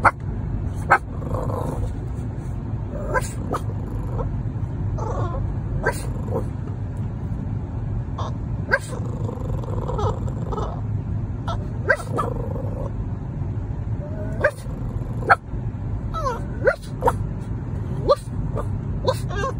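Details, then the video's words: Billie, a 3-month-old French Bulldog puppy, barks back each time a person barks at her while riding home from Petco in a car; short sharp barks and yips recur every second or two over steady low engine rumble. "Puppy Talking Back! Has to Have Last Word"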